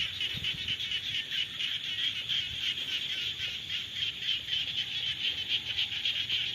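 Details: Rainy-season frog chorus: many overlapping rapid, buzzy pulsed calls forming a continuous high rasping din, with quick pulses running about four per second throughout.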